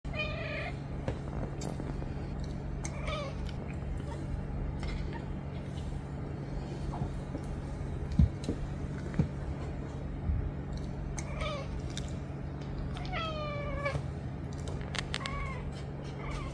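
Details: Domestic cat meowing for attention: several short, whiny, slightly rising meows scattered through the recording, clearest as a run of three near the end, over a constant loud low hum.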